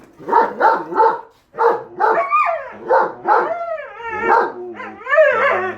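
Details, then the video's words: A German Shepherd and a Siberian Husky vocalising back and forth over a lawn mower: rapid gruff woofs, then yips and wavering, sliding howl-like whines that rise and fall, loud and close. "GSD & Husky Arguing Whether The Lawn Mower Is Evil Or Not"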